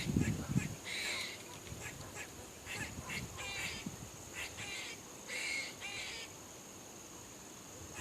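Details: Squirrel barking: short, sharp, slightly nasal barks come in irregular bursts of two or three, some spaced a second apart. A brief low rumble opens the recording, with steady background hiss throughout.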